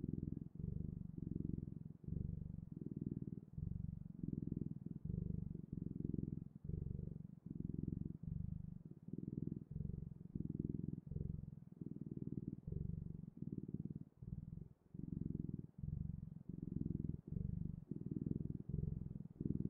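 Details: A cat purrs on and on for about twenty seconds, the low vibrating rumble rising and falling with each breath in a steady rhythm of short pulses, quiet indoor setting.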